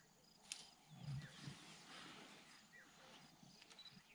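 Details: Two wild lions eating a wild boar that lionesses killed the evening before, Mkuze Falls Game Reserve, Zululand, South Africa; one short, deep rumbling growl near the start, then steady hiss with faint insect chirps.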